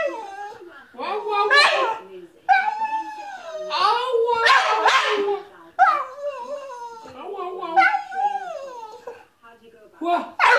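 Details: A male Staffordshire Bull Terrier sings his "whah whah song" in drawn-out, wavering howls and whines that slide up and down.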